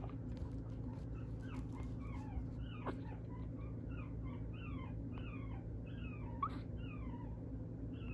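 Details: Poodle–Shih Tzu mix dog (Canis lupus familiaris), whimper.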